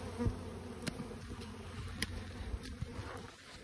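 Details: A Western honey bee swarm that landed in a garden tree in Warwickshire, England, on 21 May 2022 gives a steady, low, droning hum with a few soft clicks and knocks.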